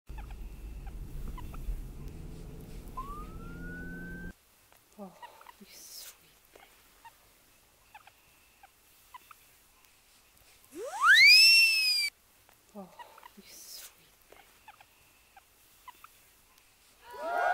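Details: A guinea pig makes strange sounds, giving a loud, sharply rising whistled squeal amid soft clicks and rustling.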